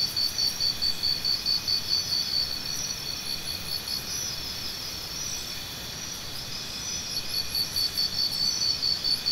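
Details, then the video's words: Cricket giving fast runs of short, high, evenly spaced chirps that fade out mid-clip and return toward the end, set against a continuous shrill insect chorus and faint higher ticking. "Cricket Sounds"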